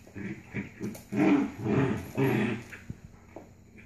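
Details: Two Labrador-Corgi mix puppies, about 4.5 and 6 months old, growling while playing tug-of-war indoors; a run of low, rough growls in three main bursts of about half a second each, with softer grumbles between.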